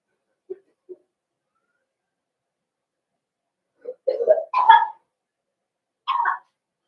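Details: Cavalier King Charles Spaniel puppies indoors in a home puppy pen, meeting several bigger household dogs during socialization: two short soft yips, then a burst of three rough, rising barks and one final higher bark, with silence between.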